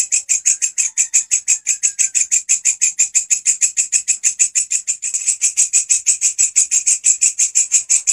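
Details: Grasshopper singing steadily, used as a master sound for training songbirds: a rapid, even train of dry, high, buzzy pulses, about three per second, continuing without pause through the whole stretch in a quiet setting.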